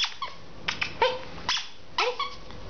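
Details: Chihuahua mix dog at play, giving a quick string of short, sharp yips and barks, some ending in a downward whine, while a person urges it on.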